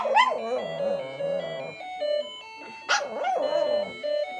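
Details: Pomeranian dog indoors singing along to a ringing alarm clock: wavering, drawn-out howls rising and falling over steady electronic alarm tones, with the owner's voice briefly heard.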